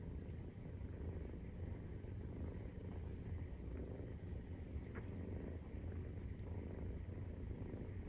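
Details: Maine Coon cat purring during nursing, kittens 43 days old; a steady low rumbling drone runs throughout with a soft grainy texture and no other clear sounds.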